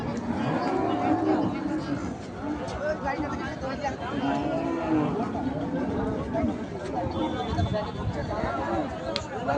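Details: Cattle at the Mayapur cattle and goat market: low, drawn-out moos rise and fall amid steady crowd chatter, voices and general market noise.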